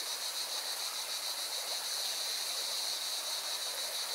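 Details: Mountain river in Valencia, Spain, with singing cicadas: an unbroken shrill, throbbing buzz rides above loud rushing water that nearly matches it in strength.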